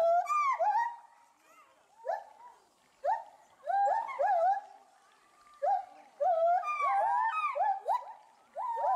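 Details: A male and female pair of agile gibbons at Bristol Zoo Gardens, UK, agitated by something unseen in the bulrushes below, give loud rising and falling hoots and whoops in excited bursts every second or two.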